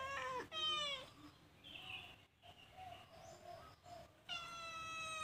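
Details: Calico cat caught stealing food inside a cage gives a short meow at the start, quickly followed by a second, then soft murmurs before a long, steady, harmonic-rich meow closes out the moment.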